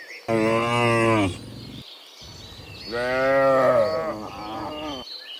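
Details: A herd of cows returning from the fields to the pen in the afternoon: a long, loud moo, then a second drawn-out moo that wavers and trails off, with light bird twitter in the background.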